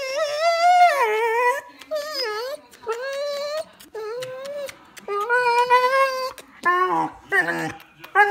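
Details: An adult Vizsla overjoyed at kisses from her owner gives long, bending, high-pitched whines and yodel-like moans in an excited burst of joy.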